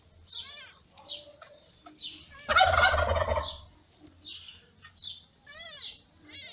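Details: Newborn kittens born in May to the ginger cat Lady Ginger, being fed by their mother; high thin mews repeat irregularly, interrupted once by a loud, harsh rustling burst lasting about a second.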